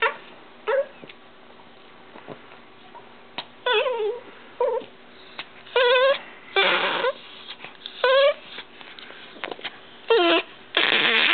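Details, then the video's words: Pet dog named GIR, teased playfully indoors by its owner, giving high whimpering yips that slide downward in pitch, in short bursts at irregular intervals of one to two seconds, with quiet room noise between. "My Dog GIR"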